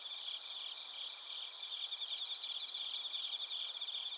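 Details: High, shimmering trills of bell crickets and other crickets at Narita in Chiba Prefecture, Japan, taken on a TASCAM Portacapture X8. Many overlapping chirps run continuously, with a quick pulsed chirping rising toward the end.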